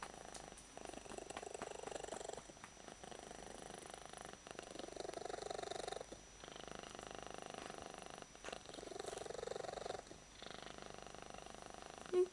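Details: Held and content, odd-eyed pet cat Yuki gives a full-power purr: rhythmic rumbling bursts about two seconds long separated by short breath gaps, steady indoors, ending with a small bump of handling noise.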